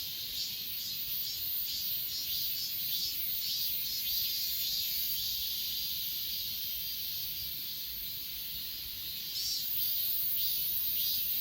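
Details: Grass insects on Achasan mountain, filmed with an S20 Ultra: a dense, steady high shimmering chorus with faint pulsing beats roughly twice a second, plus a thin piercing hiss even higher, and no other clear sounds.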